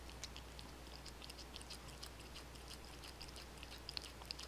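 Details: Pet cats eating wet food, dry food and bonito flakes indoors; quick, irregular crunching and licking clicks, about three per second, over a steady low hum from cheap recording gear.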